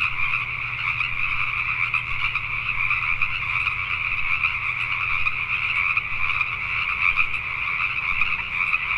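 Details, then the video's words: Night chorus of many Pacific tree frogs in Richmond, British Columbia, Canada, with countless overlapping rapid croaks forming a continuous shimmering wall of sound and a soft low background drone underneath. "Pacific Tree Frogs at Night"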